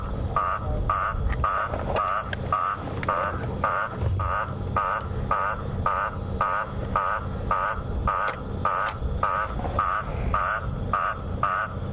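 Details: At dusk on an October 26 sunset safari drive, a frog the guide thinks sounds like an Eastern olive toad calls with short, quacking notes about twice a second over steady insect trilling.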